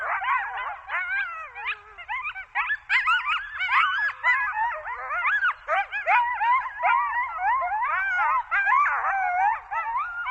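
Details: Coyotes chorusing in Zion National Park with frantic overlapping yelps and quavering howls, many short rising and falling notes packed closely and broken by brief gaps, loud throughout.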